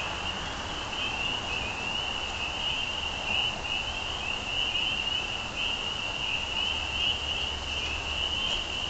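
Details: Spring peepers in full chorus, high peeping calls overlapping into a bright, unbroken, slightly wavering whine, carried over a low steady hum of background noise.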